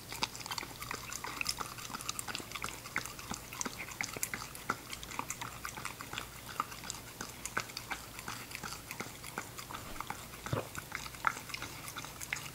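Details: Ginger, an English Cocker Spaniel puppy, eating her food in a small room: continuous crisp crunching and chewing clicks, fast and uneven, over a faint constant hum.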